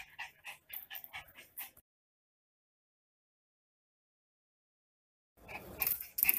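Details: Lilo, a mischievous Miniature Pinscher kept as a house pet, lets out quick repeated high whimpers and yelps for almost two seconds, then silence, then a burst of rustling household noise.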